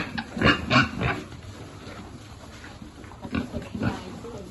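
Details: Piglet at feeding with its farm pig group: two loud, harmonic grunts in quick succession at the start, a quieter stretch, then two more softer grunts near the end.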